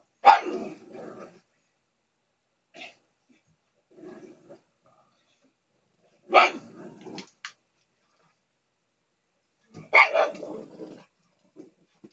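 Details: A pet female pug begs for her portion of the family dinner, a nightly habit. Three separate loud, rough bark-like cries, each falling into a low growling tail, come roughly every three to four seconds in a quiet room.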